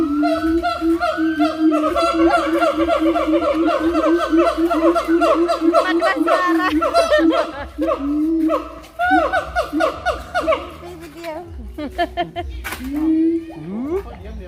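A siamang calling in loud, rapid, wavering hoots that rise and fall in quick repeated pulses.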